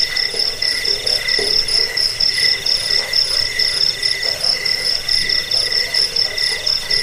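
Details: Steady cricket chirping meant to chase away rats, help sleep and serve as a training track for songbirds; bright, high pulsed trills overlap in a continuous, evenly rhythmic chorus.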